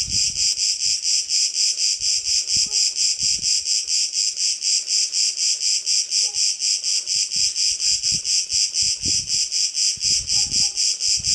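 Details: One Cicada cretensis on Crete, heard from a terrace around the afternoon nap: rhythmic rasping pulses, high and shrill, repeating roughly two times a second without pause; soft low knocks in the background.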